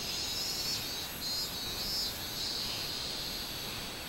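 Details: Robust cicada, 24 July 2016: a short stretch of piercing, buzzy song with soft pulsing swells repeating roughly every half second, over faint background hiss.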